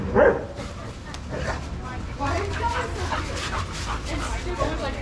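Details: Dogs playing together in a shelter yard at Pima Animal Care Center, Arizona, watched by trained handlers; one loud sharp bark opens, followed by softer dog noises under steady background chatter of people talking.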